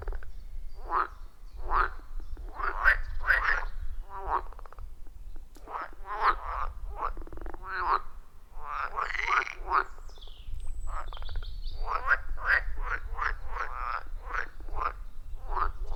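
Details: Loud chorus of wild frogs around a forest pond, recorded deep in the forest on a phone with clip-on microphone: many short pulsed croaks repeated rapidly and overlapping, with steady low rumble underneath.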